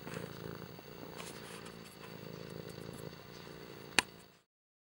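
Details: Kimba the cat purring, a steady low rumbling throb running continuously for about four seconds, with a sharp click near the end.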